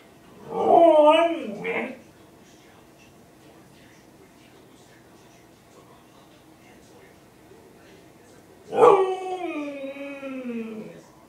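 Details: A male Siberian Husky howls as if complaining: two drawn-out, wavering howls, the first brief and bending, the second longer and sliding downward, with a quiet pause between them.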